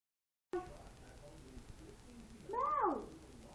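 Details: A domestic cat gives one clear, drawn-out meow that rises and then falls, about two seconds into the recording, after a quiet stretch with faint room noise.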